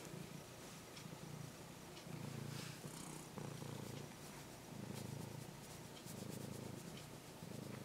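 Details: Stray orange-and-white kitten, cared for about six months and now nearly tame, purring while being stroked: a soft, low, steady rumble pulsing in breath-length cycles of about a second, with faint rustling.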